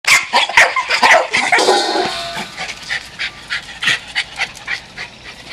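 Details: Feral Jack Russell terriers attacking as a pack: a burst of sharp, high yapping barks crowding the opening two seconds, then scattered, quieter yips trailing off.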